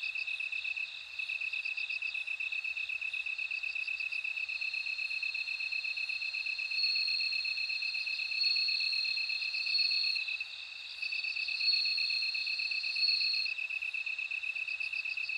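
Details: Bell crickets trill in bright, high pulse bursts, with a drawn-out ringing tone midway, over a constant fast-pulsing insect chorus. Volume swells briefly a few times.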